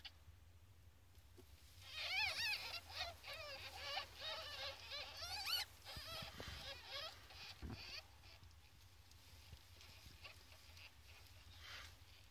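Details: Ferret kits, 14 days old, give a quick run of high, thin squeaky chirps for about four seconds. Then it fades to faint rustling, with a low hum beneath.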